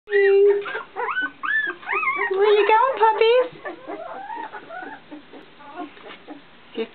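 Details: Fifteen-day-old puppies starting to walk whimper and whine in high, wavering, rising and falling tones, several overlapping in a burst over the first three and a half seconds, then softer scattered whines; a person speaks.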